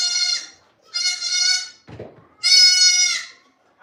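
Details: Goat at The Willful Goat Farm & Home: three loud, strongly harmonic bleats, the first short, the second longer and wavering, the third loudest and sustained, with a brief low rustle between the second and third.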